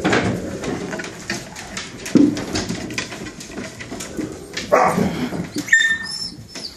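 A husky gives short vocal outbursts and yelps while disciplining its pups indoors.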